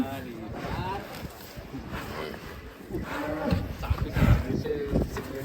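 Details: Agitated cattle raging as it leaves its pen: low, drawn-out harmonic moos early on, with people talking excitedly and a steady high hum throughout.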